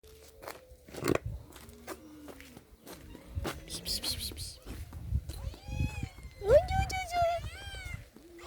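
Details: A hungry cat outdoors, its appetite whetted by grilled chicken and wanting to eat it at once, gives loud, drawn-out meows, the strongest rising then falling, over human speech and footsteps.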